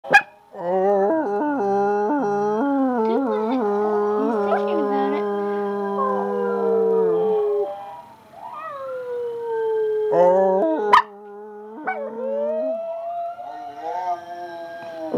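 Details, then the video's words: Pet dog howling in the evening alongside family members who join in, set off by videos: long, sustained, wavering tones layered over one another, some steady and others sliding upward, with a pause near the middle before the howling resumes. "Harley and family having a evening howl session."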